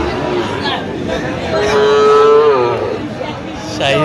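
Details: Sahiwal bull calves at a cattle market on 25 October: one calf gives a drawn-out, fairly high moo that rises and then falls away near the middle, with men talking and bargaining nearby.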